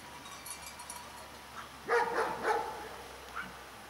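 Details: Jai, a four-year-old German Shepherd being trained to herd sheep, gives three short, rough barks in quick succession, about a third of a second apart, over a quiet outdoor background with faint distant sounds.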